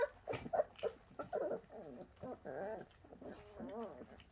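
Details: Bernese Mountain Dog puppies making a busy run of short whimpers, squeaks and grunting yelps, overlapping and irregular, with rising and falling whiny notes toward the end.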